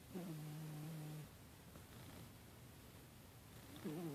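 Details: Sleeping pet cat snoring softly, one low, steady rasping breath lasting about a second, a quiet pause, then another breath beginning at the end, with background hiss.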